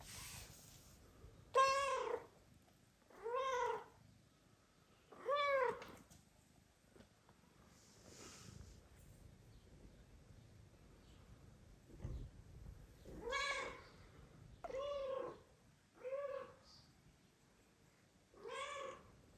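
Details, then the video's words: Kira, a mother cat with sleeping newborn kittens, repeatedly meows to be petted by her owner indoors; about seven clear, rising-then-falling meows spaced a few seconds apart, with quiet gaps between. "Mother cat meows loudly and asks to be petted while newborn kittens sleep"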